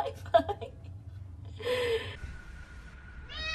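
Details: Pet cat from a compilation of short cat videos, with a drawn-out meow and a rising nasal meow at the end. People talk in the background.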